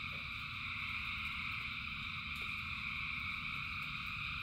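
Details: Rain-soaked frog chorus of thousands of singers, heard as an even, ringing high-pitched wall of trills that never pauses, with a constant low rumble underneath and scattered faint taps.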